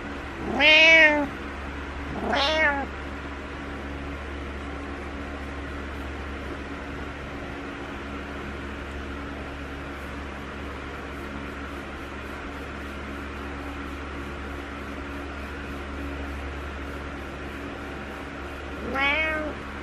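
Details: Needy morning meowing by Butters the cat indoors: two quick harmonic meows at the start, then a long quiet stretch of room hum before one final meow near the end.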